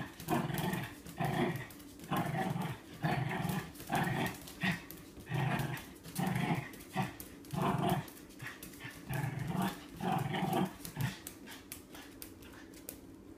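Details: Dog chasing its own tail, giving low, rough growling bursts in a steady rhythm, about one every half second to second, with short pauses between runs and a faint indoor background.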